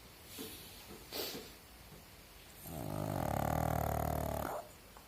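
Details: A sleeping pug snoring indoors: after a few soft breaths, one loud, raspy, rattling snore of nearly two seconds with a deep rumbling undertone, ending abruptly.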